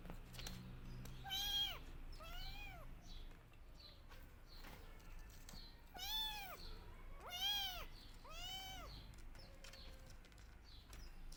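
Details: Rescued kittens meowing loudly while searching for their mother: bursts of arched, rising-then-falling cries, pairs and triplets in quick succession, with quieter gaps and a faint low hum beneath.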